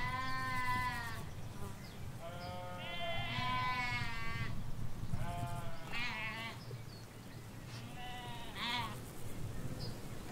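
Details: Several sheep, ewes with their lambs, grazing a Hampshire countryside field near a hedge, trade overlapping bleats, some steady and some quavering, in a near-continuous chorus over low rumbling background noise.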